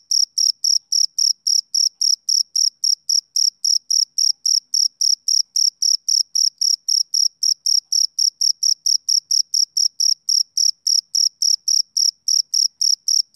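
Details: Continuous chirping from a male cricket on a summer evening: piercing high pulses in a fast, even rhythm of roughly four per second, nothing else audible.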